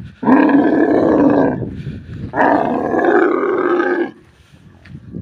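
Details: Desert camel giving two long, loud, rough roaring bellows, each lasting well over a second with a harsh, gurgling texture, separated by a short pause and followed by quiet.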